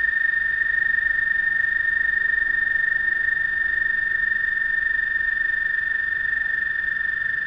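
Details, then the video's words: Night chorus of frogs calling to one another, heard as one unbroken, steady high-pitched trill at constant loudness throughout, with faint harmonics and nothing else prominent. "Frog Trilling"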